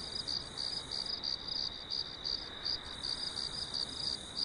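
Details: Crickets on a farm at night under a full moon, piercing high chirps arriving in quick pulses, about two to three each second, layered over a steady insect whine.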